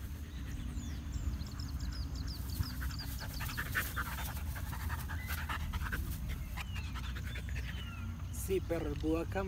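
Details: Siberian husky named Berlín panting at a park, with steady rough breathy rhythm low in pitch throughout, a person talking over it and faint bird chirps in the background, with a voiced whine-like bit near the end.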